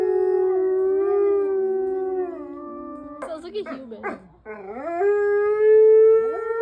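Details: Mexican wolves howling in chorus: long, smooth harmonic howls near one pitch, overlapping voices gliding up and down, broken midway by a burst of rough, yipping and wavering cries before sustained howls resume.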